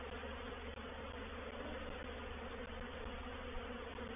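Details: Honey bees swarming into a swarm trap at Painted Peacock Manor on 04/07/21, a reproductive swarm: a steady, crowded buzzing drone with a low hum, a few faint ticks over it.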